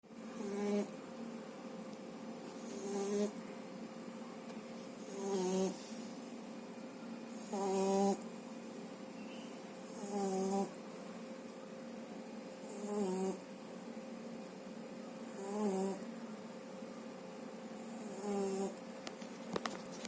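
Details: French Bulldog puppy, under two months old, snoring in sleep after a good meal: rhythmic raspy, harmonic snores about every two and a half seconds, each a short buzzy swell, over a steady faint electrical hum.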